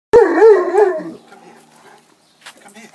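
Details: Leonbergers going for a swim: one loud, wavering, high whine lasting about a second, bending up and down, followed by quiet, faint splashing and rustling.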